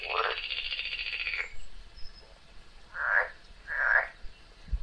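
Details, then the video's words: Frog fighting a snake: a long, hoarse, drawn-out scream lasting over a second, then two shorter rising-and-falling wails, ending with a dull thud. "LONG FIGHT WITH FROG AND SNAKE l सांप और मेंढक की लंबी लड़ाई"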